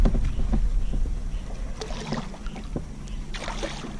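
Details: Water lapping against a kayak with paddle knocks, gurgling and light wind, with no animal calls.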